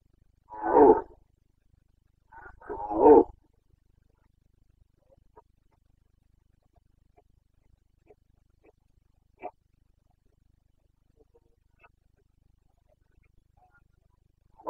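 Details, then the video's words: Carpathian stag roaring during the breeding season in Bucovina, Romania, September 2022. Two short, rasping roars a couple of seconds apart, followed by long near-silence with faint distant ticks. "Boncănit / Carpathian stag Breeding season"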